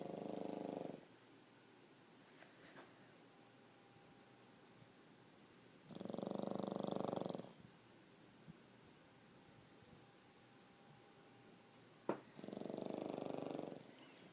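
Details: Pug sleeping on its owner and snoring: three broad, rasping breath bursts about a second long, spaced roughly six seconds apart, with quiet in between and a faint steady hum.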